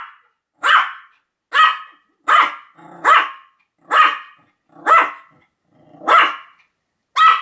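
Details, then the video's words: Continuous barking from Sam, a Pomeranian, in October 2015: eight bright, high-pitched barks spaced roughly a second apart with silent gaps between each. "犬の鳴き声 ポメラニアン サムの連続吠え"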